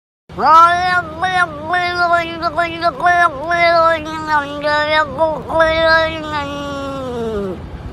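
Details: Domestic cat "talking": a single long, drawn-out meowing cry of about seven seconds, wavering and dipping in pitch several times before trailing off, with a person speaking briefly afterwards.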